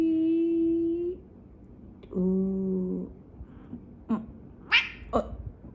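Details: Pet cat described as barking like a dog. It makes two long, low, flat cries of about a second each, followed by short, abrupt higher yelps, with human voices in the room.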